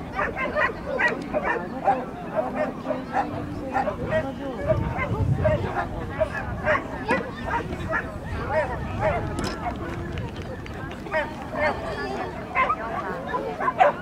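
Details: Norfolk terrier at an agility event, 28 March 2009, giving sharp, repeated barks in quick bursts throughout, mixed with steady background talking from people nearby.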